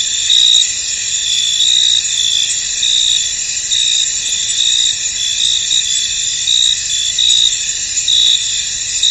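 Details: Crickets in a misty, foggy field, a dense chorus of high trilling chirps with a steady shimmering band and brighter pulses recurring roughly every second, no other clear sounds.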